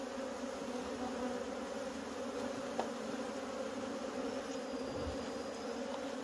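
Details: Wild honey bees at a nest during a wild honey harvest: a dense, steady droning buzz of many bees, with strong low bands holding without pause and a single faint click near the middle.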